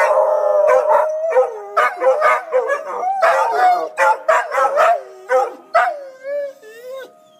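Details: Emergency siren test draws howls from three dogs named Tobin, Horace and Patton; wavering howls give way to rapid choppy yips and barks, ending with a falling howl and fading siren.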